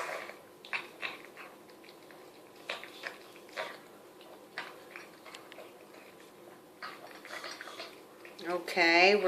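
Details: Mia, a Chihuahua, snarfing homemade chicken soup from a bowl indoors: quick wet smacking and slurping clicks scattered through the clip, with a woman's voice speaking at the very end.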